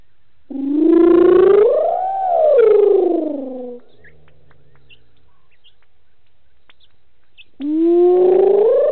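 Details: Lone wild hyena calling after drinking at Gowrie dam waterhole, Djuma Game Reserve, Sabi Sand, South Africa, evening. Two long rising-then-falling whoops with strong overtones, a quiet gap, then a third whoop starting near the end.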